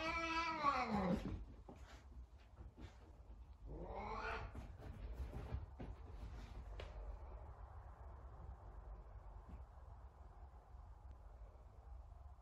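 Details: Sabian the Savannah cat, very talkative, meows while looking for Sabina, another cat. A loud, high, descending meow opens, and a second bright meow follows around four seconds later. Quieter ticks and steady room noise come after.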